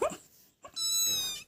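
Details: Pet kitten calling its owner indoors: a single high, clear, slightly falling meow of about two-thirds of a second, right after a brief burst of a woman's affectionate talk.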